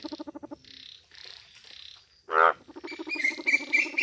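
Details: Indian bullfrog, described as a beautiful yellow frog, in a village: short bursts of rapid, throaty pulsed croaks, then one loud harsh blast, followed by more pulsed croaking mixed with high, bright chirps.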